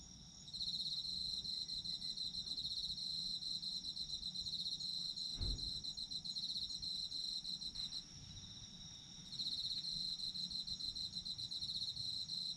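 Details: Autumn insects heard as sleep ambience: a steady high-pitched pulsing trill with a faint continuous buzz above it, broken by a brief pause near the end, with a soft low thump midway.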